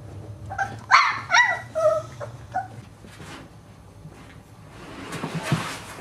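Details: Boxer puppies at play: a quick burst of high, whiny yelps and yips in the first two seconds, then quieter rustling and scuffling noise.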